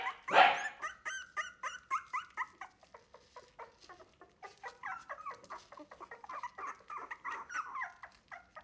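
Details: Three-week-old Wire-haired Miniature Dachshund puppies of a litter, loudly protesting as a person feeds them milk instead of their mother; dense overlapping high whines and yips, several at once, rising and falling in quick succession.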